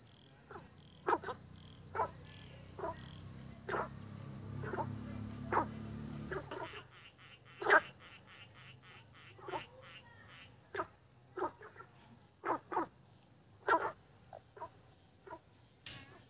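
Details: Frogs croaking in early spring: short, sharp croaks repeated irregularly, roughly one every second, over a steady high insect buzz, with a low rumbling hum for the first six seconds.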